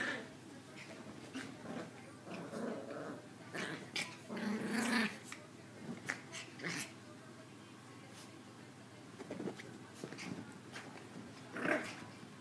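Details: Pair of young female Maltese dogs, the smaller one the instigator; scattered sharp clicks and scuffles with brief low growls, the strongest rumbling growl near the middle and another short one near the end.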